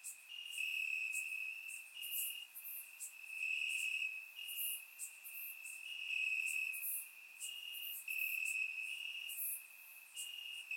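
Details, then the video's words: Crickets chirping in grass on a warm summer night in Bulgaria, recorded with a surround microphone: a steady high trill with slight pitch steps, overlaid by brief louder high chirps recurring roughly every second. "Cricket Sounds - Crickets Chirping at Night"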